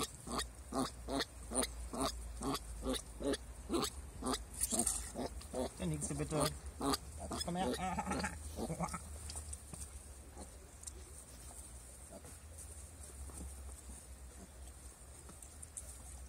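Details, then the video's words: Turopolje piglets, bottle-raised, kept in a rabbit enclosure on 2 July 2018; a quick train of short grunts about twice per second for eight seconds, a longer squealing grunt, then quieter sounds and background noise. "Turopolje-Ferkel Flaschenkinder"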